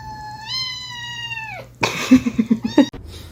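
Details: Indoors, a cat gives one clear, sustained meow that rises slightly and then ends with a downward slide. Rustling, knocking and a brief human voice follow.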